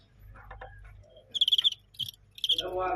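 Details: Fighting crickets filmed live: three bursts of high, pulsed chirping about half a second apart, each a rapid train of clicks, with a man speaking Cantonese before and after.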